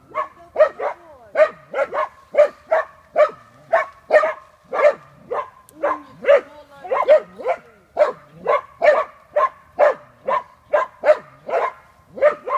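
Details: Chuka, a hunting dachshund working a wild boar, bays steadily: a long unbroken run of sharp yelping barks, about two per second, evenly spaced and insistent throughout.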